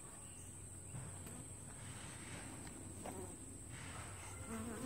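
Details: Honey bees at the entrance of a two-week-old walk-away hive split, traffic flying in and out: a low, steady hum with faint wavering whines of passing bees and a high constant tone above.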